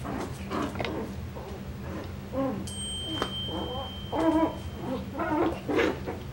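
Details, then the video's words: Coton de Tulear puppies from a breeder's litter update, Moxy, recorded 9/21/23; short high squeaky whimpers in clustered bursts over a steady low hum, with a brief thin electronic tone partway through. "Coton de Tulear Puppies"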